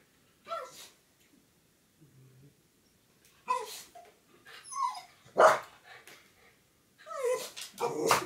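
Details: Jack Russell Terrier indoors watching a grey squirrel. It makes short, high whimpers and yips that slide downward, coming in bursts with gaps of about a second. The bursts grow louder and more insistent toward the end.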